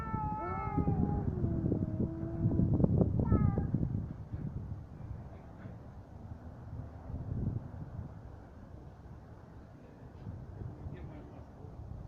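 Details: Cats fighting: long wavering harmonic yowls rise and fall through the opening four seconds, overlapping with a low growling rumble, then fade into quieter background with faint scattered cries later.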